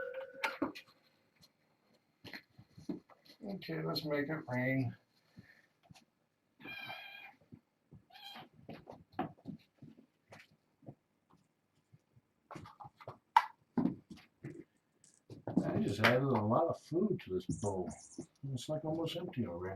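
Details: Kittens from a fostered litter of six, four females and two males born August 29th, meowing indoors at bedtime: bursts of short harmonic mews and longer wavering cries, with a person talking softly throughout.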